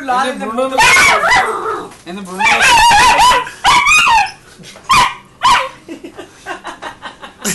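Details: Alaskan Malamute puppy about eight or nine weeks old, Calgary, Canada, 2012, showing aggression toward an adult German Shepherd: high, wavering, harmonic yips and whiny barks in quick bursts with short gaps, with a person's voice nearby.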